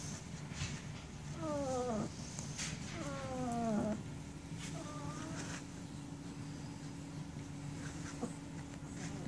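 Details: Sixteen-day-old German Shepherd puppies whining; three high, quavering calls that slide downward, the first two longer, over a steady hum and broadband room noise.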